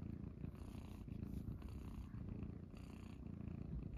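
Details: Munchkin kittens Pochakun and Chaabo purring on a person's belly in the morning; a steady, low, rumbling purr pulses continuously throughout, with faint room rustling.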